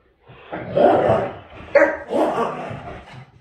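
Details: Great Dane giving three short, hoarse, broad barks about a second apart, with people talking nearby.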